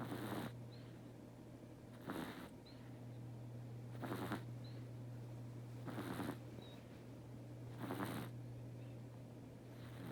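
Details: Domestic cat Teto sleeping deeply and snoring in an even rhythm. Six raspy, airy snores come about every two seconds against a low continuous hum indoors.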